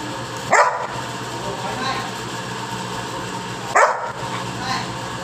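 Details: Labrador Retriever Nikku, a pet dog, gives two single loud barks about three seconds apart over a low steady hum, after a person asks in Hindi for both paws.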